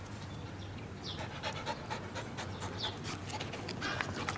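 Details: Nearly eight-month-old female Flat-coated Retriever puppy, playful and cuddly, breathing in fast rhythmic pants, with faint squeaky noises between breaths over a low background hum.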